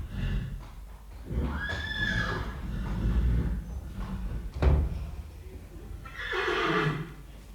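A horse gives a loud, shaky whinny that rises and falls over a low rumbling background.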